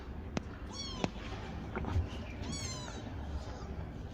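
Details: Grown kittens of mother cats rescued from the street, sheltered in a cat house, give two short descending meows in quick succession, roughly two seconds apart, with a low background hum and a few clicks.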